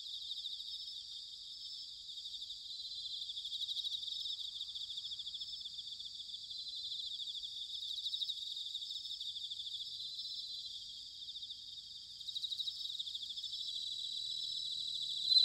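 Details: Bell crickets singing in autumn, recorded in Sanuki, Chiba, Japan: a steady high, shimmering ring overlaid by brief louder pulsed trills near four and twelve seconds, with faint low background rumble.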